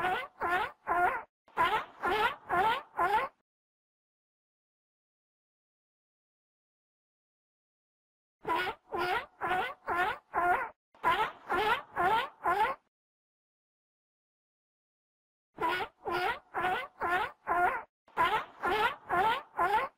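A seal gives bouts of rapid, hoarse, honking barks separated by long silences.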